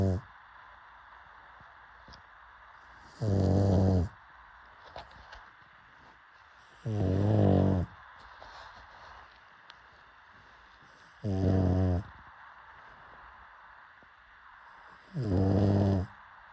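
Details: Sleeping pug snoring indoors: four deep, rattling snores, each about a second long, coming roughly every four seconds with quiet pauses between.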